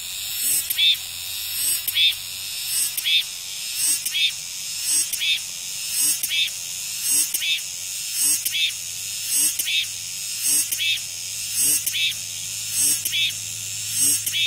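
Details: Chorus of cicadas after rain, shrill and continuous, swelling into harsh buzzy bursts near every second, with a soft low hum in the background.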